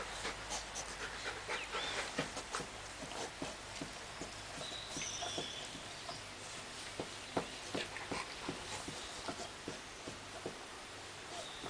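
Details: Labrador Retriever beside a baby, panting softly in quick breathy puffs at roughly 160 a minute, an irregular rhythm of soft noisy bursts, with faint high squeaks drifting above.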